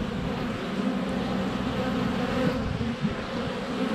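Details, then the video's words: Honey bees at the hive entrance, sunny February, filmed by a GoPro Hero 7 Black less than a foot away; steady throbbing drone of a crowd of flying bees, faint high ticks. "4K Honey Bees - ambient video and audio"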